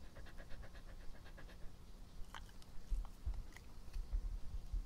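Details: Pet dog recorded up close for ASMR while breathing, chewing and drinking: a quick run of soft, rhythmic breaths in the first second and a half, then scattered low thuds and wet chewing or lapping noises.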